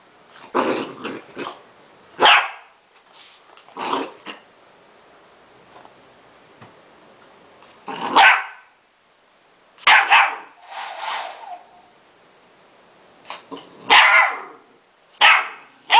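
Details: A female Golden Retriever puppy gives sharp, high yapping barks in irregular bursts, objecting to a hair dryer as her hair is dried.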